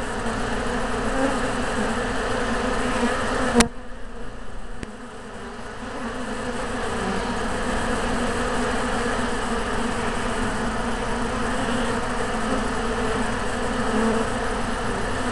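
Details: Yellow honey bee hive, bees on their best behaviour; dense continuous droning buzz of many bees, steady throughout with a brief dip after a sharp click near four seconds.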